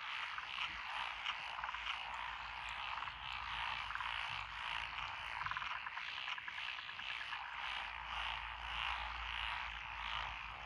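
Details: Many frogs call together in lotus rice paddies at Echizen, Fukui, Japan, on 12 June 2021, including Japanese tree frogs, black-spotted pond frogs, wrinkled frogs, Schlegel's and forest green tree frogs. A steady, thick mass of rapid croaks with rattling pulses runs throughout.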